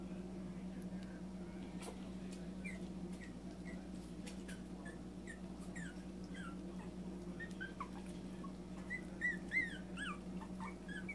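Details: Yorkshire terrier puppies from a trio of the breed, indoors outside their pen during a short playtime: thin, high squeaky whimpers in quick uneven runs, some sliding up or down, growing busier near the end over a steady low electrical hum.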